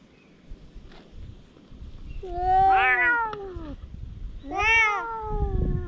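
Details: A pair of stray cats heading into a fight: two loud, arching yowls about two seconds apart, each swelling then dropping in pitch, over a faint hiss of outdoor background noise.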